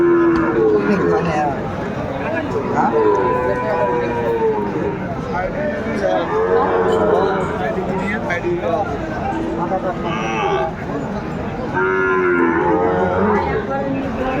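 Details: Repeated short, bending moos from cattle come every few seconds at a crowded market in Cumilla, Bangladesh, on 12 February 2025, where a farmer bargains for a Sahiwal bull. Constant chatter and crowd murmur fill the background.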